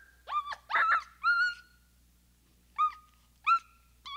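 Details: {'caption': 'Capuchin monkey making a quick cluster of three squealing whistles, the last one longer and downward-sloping, then after a pause two short clear whistles and the start of a third.'}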